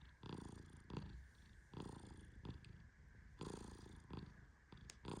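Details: The Persian cat Tehran naps while gently petted. He lets out deep, rumbling snores in uneven breaths, with quieter pauses between them and a faint click near the end.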